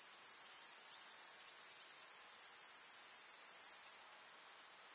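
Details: Summer meadow grasshoppers produce a steady, very high continuous trilling hiss, unchanging in pattern, dropping somewhat in volume after four seconds.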